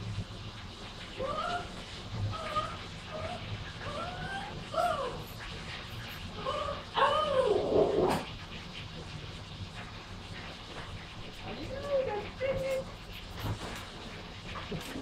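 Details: Yorkshire Terrier (Canis familiaris), whine: greeting its owner coming home.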